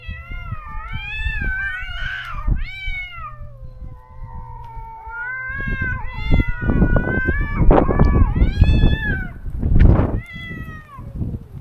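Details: Neutered stray cat calling daily for its separated close companion in a rural yard: a string of loud, rising-and-falling wailing meows, some clustered closely, others drawn out, with brief rustling and shuffling between calls.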